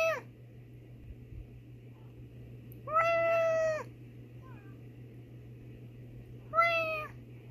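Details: Nikita, a female house cat answering her owner's meows, gives three drawn-out tonal meows several seconds apart, the middle one longest and steady in pitch, with a low electrical hum beneath.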